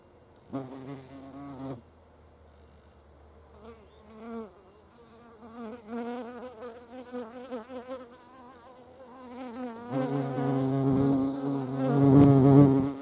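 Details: Hornets buzz around a feeding place: a brief deep drone, then quieter wavering hums that rise and fall, building to a loud, sustained low buzz close by near the end.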